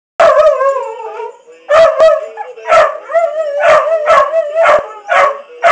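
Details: Two pet dogs "sing" together, howling in wavering, drawn-out tones broken by short sharp yips.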